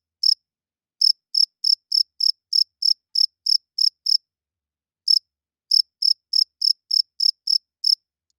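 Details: Night-time cricket chirping: sharp high chirps in short runs at about three per second, broken by a lone chirp and longer silent gaps, then a steady run again; nothing else audible.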